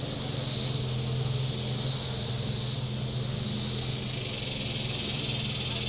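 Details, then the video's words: A shoreline chorus of cicadas at Table Rock Lake, southern Missouri, on a hot Saturday with boats out. Steady high-pitched hiss rises and falls in waves about every second, with a deeper engine drone from boating underneath. "Boating Lake Sounds and Cicadas"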